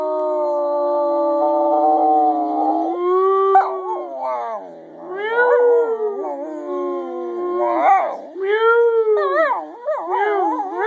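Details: Scruffy the singing dog gives one continuous, drawn-out howl. It starts as a level tone, then breaks into wavering, swooping rises and falls, with arching upward bends and shaky warbles toward the close.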